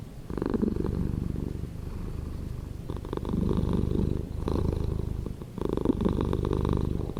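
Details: Close, low-pitched purring from a cat, a buzzing vibration that rises into rougher, louder bursts every one and a half to two seconds and eases back between them.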